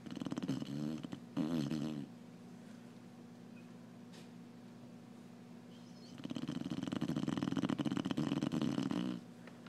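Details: Slumbering Clumber Spaniel indoors, loud snores as coarse fluttering rattles in bursts: two short ones in the first two seconds, a quiet hum-filled pause, then a long sustained snore lasting about three seconds.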